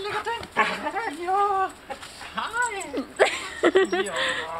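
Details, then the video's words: Husky greeting its male owner home after two months apart, in Telemark, Norway, August 2014: long rising-and-falling whines and howl-like cries, some with clear harmonics, broken by short yips, with people talking over it. "Husky welcoming daddy home"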